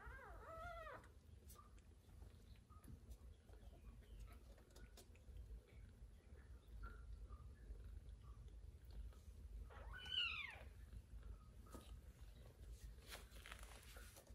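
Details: Mother cat feeding her kittens indoors, sharing the room with adopted baby monkey Susie; one arched meow at the start, a long quiet stretch of faint squeaks, then a second loud bending meow about ten seconds in.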